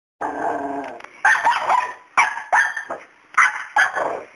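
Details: Pet dog barking at a fearless cat named Miracle that stays unafraid of him; a drawn-out growling bark opens, followed by sharp, loud barks in quick bursts roughly every half second to second.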